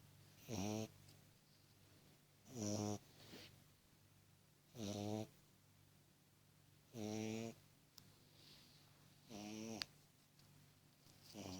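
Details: Tiny beagle puppy asleep indoors, snoring: five short nasal, whining snores roughly every two seconds against a steady low hum.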